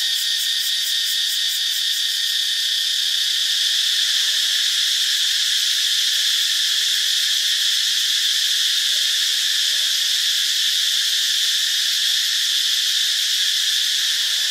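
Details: Steady shrill cicada chorus from Ubon Ratchathani, Thailand: a dense, continuous high buzz without pause. A fast pulsing shimmer fades out after the first few seconds, leaving an even hiss-like drone.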